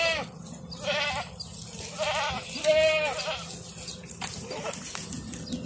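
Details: Bishi goats in a herd of 60 with 30 young kids, kept for sale on the coast north of Al Qunfudhah, Saudi Arabia; several wavering, nasal bleats overlap in quick succession over a steady background hiss.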